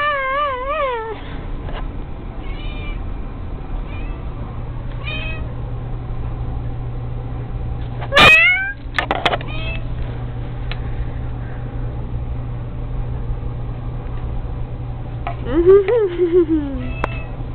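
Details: Pet cat playing with a fishing-pole toy, meowing repeatedly: a wavering meow at the start, a sharp loud meow near the middle, and a long drawn-out falling meow near the end, over a steady low hum.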